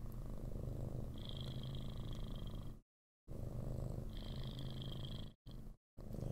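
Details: Large, heavy orange tabby cat, friendly, being held and cuddled indoors, purring loudly and steadily right into a microphone; deep continuous rumbling with brief cut-outs, a woman talking softly nearby.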